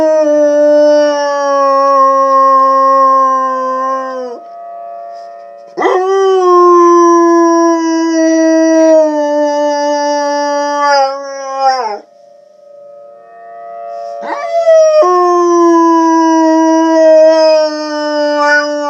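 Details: A dog howls along with tornado sirens; three long, steady howls of several seconds each, each ending in a falling slide, while a constant siren tone keeps going in the short gaps between them.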